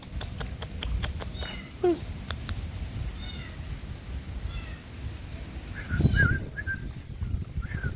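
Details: Domestic cats respond as someone calls them with repeated clicking and calling sounds; after a pause, a few short, high meows come near the end over steady low background rumble.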